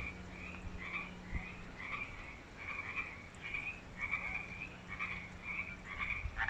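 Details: Loud frogs that have moved into a new artificial creek at Wesbrook Village, UBC; a continuous chorus of rapid, rhythmic croaks from several callers, with a faint steady low hum.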